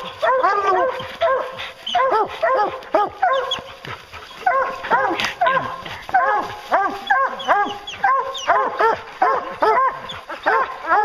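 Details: A pack of hounds bays during a bear hunt, many dogs barking at once in dense, choppy bursts of arched yelps that run almost without pause.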